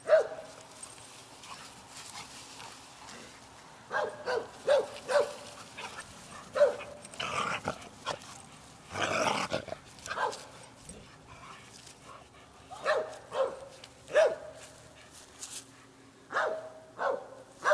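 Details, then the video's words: Playing dogs barking in quick bursts of short, clipped barks, grouped in twos and threes, with a loud rushing scuffle of noise midway and quieter gaps between bouts. "Dogs Playing"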